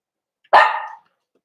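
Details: Cavalier King Charles Spaniel in a home puppy pen while puppies are socialized with bigger dogs: one sharp, bright bark lasting about half a second, starting loud and fading, in an otherwise quiet room.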